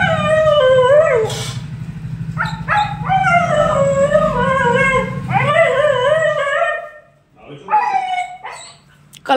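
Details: Female Siberian Husky named Billu reacting after being apart from her owners: a run of wavering, drawn-out howl-like yodels, rising and falling in several phrases with short pauses between them, over a steady low hum.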